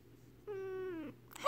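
A Siamese cat gives a long, steady meow that slowly drops in pitch at the end.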